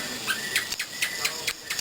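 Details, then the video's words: Cricket chirping at night, short bright chirps repeating about every half second, each a sharp burst, laid over a steady thin high hum and constant background hiss. "Sound of Cricket at Night"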